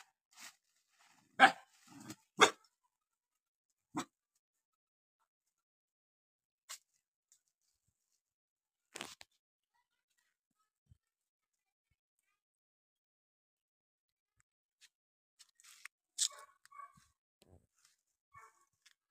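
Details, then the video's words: Dog barking while a cow eats nearby: sharp, loud single and doubled barks over the first nine seconds with long quiet gaps. Softer, fainter scattered sounds follow near the end against an otherwise silent background. "dog 🐕 barking"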